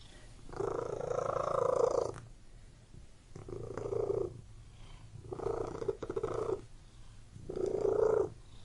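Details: Domestic cat purring indoors in a room, a steady low rumbling purr rising and falling in four long swells, each lasting about a second and a half with quiet breathing gaps between.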